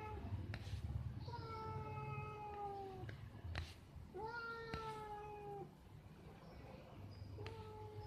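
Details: A pair of cats up a tree during lovemaking, with long steady-then-sagging yowls repeated about every one and a half seconds, punctuated by a few dull thumps, over low rumbling background noise.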